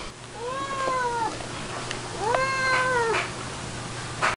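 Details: Young female pet cat, about a year and a half old, indoors and wearing a loose jacket she struggles to move in, gives two drawn-out, slightly falling meows about two seconds apart against quiet room hiss.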